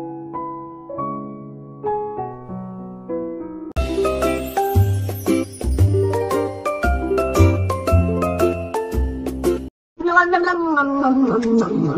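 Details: A bright chiming jingle of bell-like and piano tones, first soft and sparse, then fuller from about four seconds with a steady low beat, a brief silence near ten seconds, then a gliding melodic phrase.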